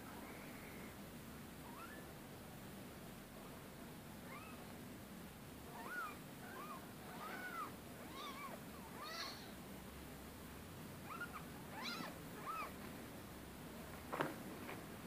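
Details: Rescue cats giving a long run of short, arching meows, several in quick succession through the middle stretch, some overlapping, over a steady low indoor hum with a sharp knock near the end.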